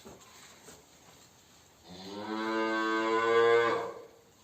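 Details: Simmental cow, one of two on a farm that came into silent heat and received a vaginal device treatment with a vet before insemination; a single long, deep, harmonic-rich moo lasting about two seconds, swelling then fading, in an indoor setting.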